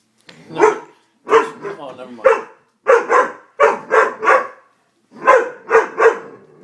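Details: Scared Doberman reacting to a prank with a dense run of loud, rough barks, some doubled and tripled in quick bursts, separated by brief pauses.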